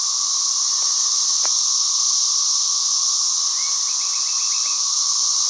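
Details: Cicadas fill the air with a loud, unbroken, high-pitched hissing drone. Brief chirps and a short, quick bird trill near the end sit faintly beneath it.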